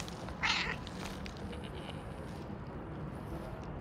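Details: A gray domestic cat gives one short, bright meow about half a second in, followed by a steady low, rumbling texture that runs through the rest.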